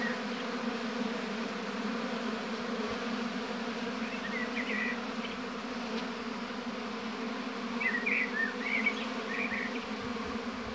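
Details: Honey bees buzzing at the hive in an apiary, a continuous low humming drone, while small birds twitter in short high bursts around the fourth and eighth seconds.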